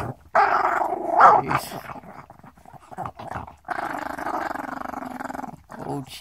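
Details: Small Chihuahua growling, snapping and breathing all at once, a rough, buzzy snarl in two long bursts with short breaks, and snaps between them; a person speaks Spanish over it.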